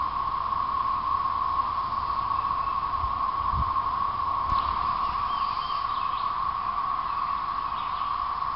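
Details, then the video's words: Thirteen-year periodical cicadas in 2011, singing through late April and May: a constant whining chorus on one pitch, joined by a sharp click midway and faint chirps from a bird in the background. "Periodical Cicada 2011"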